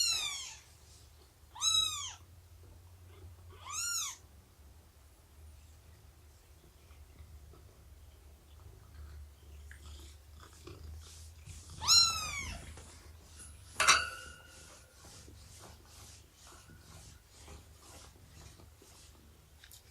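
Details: Morning snuggles, nursing and play among Shelby, an estimated two-year-old rescued mother cat, and her kittens of around three months. Short, high, arched harmonic mews come in a cluster early on, then two more near the end, with quiet handling noises between.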